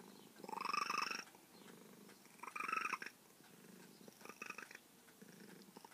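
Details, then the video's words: Female feral cat that grew close to her carer over years of patience, giving three chirping trills over a rolling purr, the first two loud and about a second long, the last fainter, indoors. "Talking feral cat"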